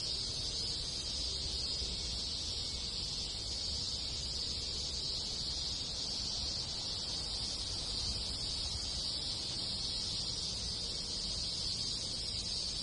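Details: Rural Japan in summer, where many cicadas and other insects fill the countryside with an unbroken, high-pitched sizzling drone, level and unchanging throughout, above soft low background noise.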